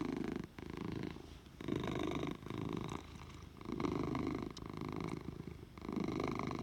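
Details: Purring from Oliver the house cat: a deep, rough rumble rising and falling with each breath, about one cycle every two seconds, with short quieter gaps between the loud inhale and exhale phases.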